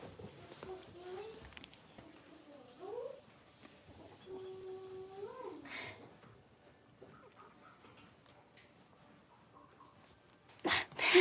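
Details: Blenheim Cavalier King Charles Spaniel puppies, a litter of five born at New Year, playing in an indoor puppy pen; several high, wavering whines and squeaky yips over the first six seconds, then quieter shuffling and a sharp loud knock at the end.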